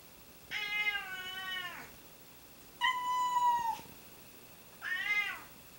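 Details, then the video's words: Pet cats meowing repeatedly indoors: three drawn-out, tonal meows, the first long and gently falling, the second steady then dropping, the third short and arched, with quiet room hiss between. "My Cats Won't Stop Meowing"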